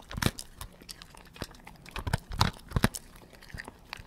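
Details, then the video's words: Dog feeding slowly, chewing food indoors: irregular crunchy bites and clicks, with louder crunch bursts near the start and around two and a half to three seconds, in a small quiet room. "Hund frisst langsam mit kauen dog feeds slowly with chewing Geräusch"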